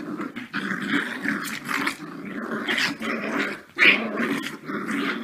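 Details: Puppies fighting indoors, giving sustained raspy growls that swell and fade over five seconds, broken by sharper squeaky yelps and snarls, with one louder burst near the end.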